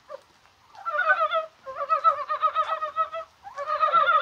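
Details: Rainy, spring-like January day in Korea with Dybowski's brown frogs calling: long, overlapping runs of rapid, rattling croaks merge into a near-continuous chuckling chorus.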